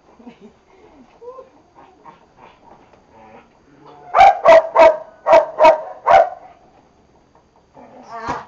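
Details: Boxers in training: soft whines and scattered low sounds, then a burst of six loud, sharp barks spaced roughly half a second apart, fading to quiet before one final yelp.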